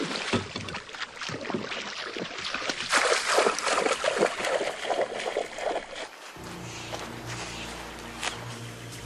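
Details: Splashing water and broadband noise, then music with steady tones; no animal sounds are heard.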